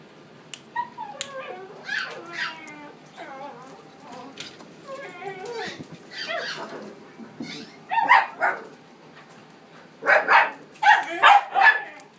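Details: Male white Maltese puppy in a pet shop, a string of high whimpers, short yips and squeaky barks, some rising and falling, growing louder in bursts toward the end.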